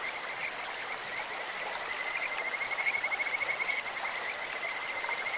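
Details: Kajika frog by a clear stream sings a sustained high, bird-like trill of quick regular pulses from about two seconds to the end, rising slightly in loudness midway, against rushing water.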